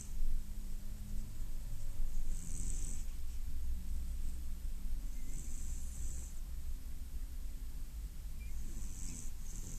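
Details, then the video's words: Sleeping domestic cat snoring: soft rasping breaths about every three seconds over a steady low rumble. "Котик храпунец"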